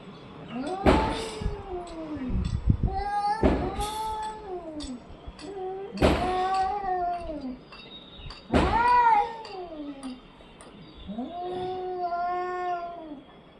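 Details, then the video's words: Orange and white domestic cat calling in loud, arched meows roughly every two to three seconds, one rising sharply to a strained peak, with thumps and clicks between calls. "Cat funny sounds"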